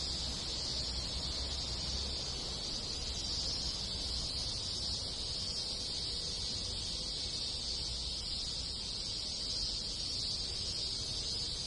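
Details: Many cicadas in a rural Japanese village in summer make a steady, dense, high-pitched hiss that never breaks. Other insects join in, and a low rumble sits underneath.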